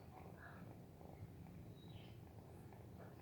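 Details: Sleepy orange cat named Sanusi, snoring and purring softly while dozing off indoors as a hand pesters it; a quiet, steady low rumble pulses continuously throughout, with faint soft murmurs in the background.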